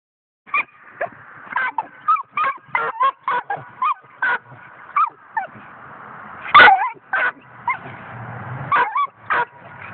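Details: Five-month-old coonhound puppy giving a rapid run of sharp, high yipping barks, roughly two per second, some sliding into short whiny upturns, with a loud yelp near the middle.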